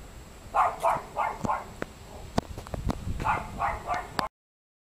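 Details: A Great Dane hiding under a house in Compton, California, barking and frightening children, gives two quick bursts of hoarse, echoing woofs with sharp knocks in between.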